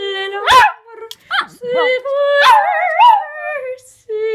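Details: Pet female Japanese Chin howling along to the opera aria Arditi's "Il bacio", with wavering, rising and falling tonal howls that break off between short pauses, and a person's laughter nearby.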